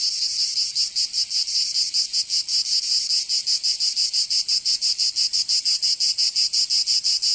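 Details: Dense high buzz of cicadas in summer, Provence, southern France, starting as a smoother drone and settling into a quick, regular throb of about three pulses per second.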